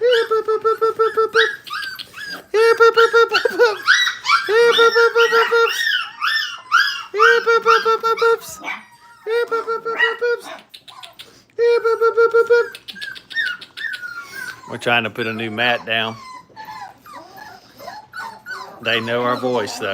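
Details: Five-week-old Brittany puppies at a kennel, learning crate training, whine in steady, tonal, repeated bursts of about a second each with short gaps, then break into a quicker, wavering chorus of overlapping yelps and squeals near the end.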